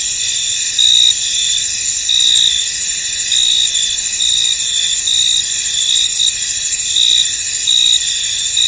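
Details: Fog hangs over a field where crickets sing together, a continuous shrill ringing chorus. Louder pulses rise roughly once a second over the even high trill.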